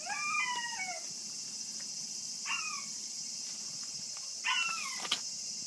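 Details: Kishu x Shikoku cross puppies, 40 days old, from one litter: three descending, tonal whimpers with bright harmonics, the first long and sliding down, two shorter ones about two seconds apart, over a steady high hiss.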